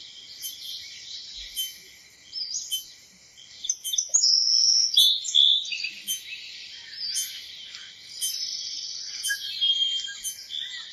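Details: Cicada giving rhythmic bursts of shrill, high buzzing, about one burst per second, each swelling and fading, over a softer background hiss.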